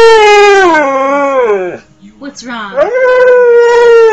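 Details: Dog howling in a long tonal wail that slides down, breaks briefly, then rises again into a sustained steady howl, loud and close.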